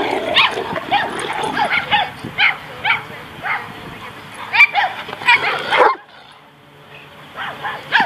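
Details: Zora and Austen, two Great Danes romping at White Oak dog park in Encino, California, March 2014. Quick, yappy barks in steady succession give way to near silence, then a couple of final barks.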